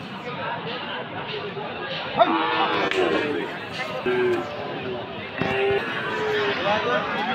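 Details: Friesian and crossbred cattle, bulls and calves, at a market in Aftabganj, Dinajpur, on Saturday 18 February. Several brief, nasal moos follow one another amid busy human voices and market bustle.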